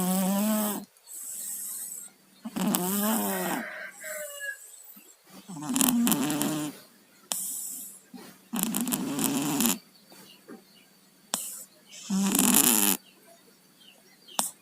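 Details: Sleeping pet cat, one of two named Tayen and Lilu who both have colds, snoring through a blocked nose: harsh, raspy breaths in loud bursts, each about a second long, recurring every two to three seconds with brief quiet gaps.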